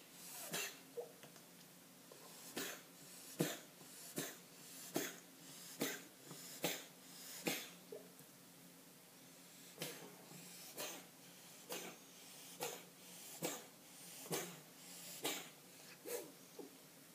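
A Persian cat sneezes over and over, sharp explosive bursts coming roughly once a second.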